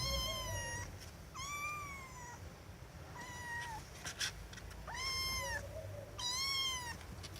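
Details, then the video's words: Domestic cat meowing loudly: five drawn-out, harmonic-rich meows, some level and some falling at the end, spaced about every one to two seconds, with faint lower chirps between them over a low background hum. "Cats Meowing Loudly"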